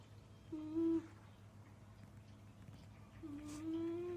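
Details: Snoring of a sleeping cat, first mistaken for a mystery noise: two drawn-out, whistling, nasal tones, each with faint overtones, about three seconds apart, over a steady low hum.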